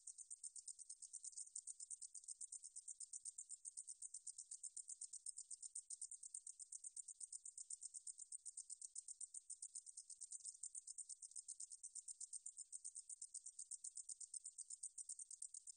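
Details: 2020 National Institute of Biological Resources recording of the katydid 등줄어리쌕쌔기: a long, unbroken, shrill buzzy trill of regular ticking pulses, about four a second, holding steady throughout.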